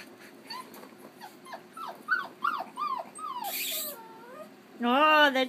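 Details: Young Keeshond puppy, five and a half weeks old, at play in Baarlo: a run of short rising-then-falling whines repeated about twice a second, a rushing noise midway, then a loud harmonic-rich whine at the end.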